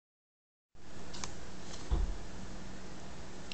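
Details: After a moment of silence, quiet indoor room hum begins, with one soft low thump and a faint tick, and no animal voice.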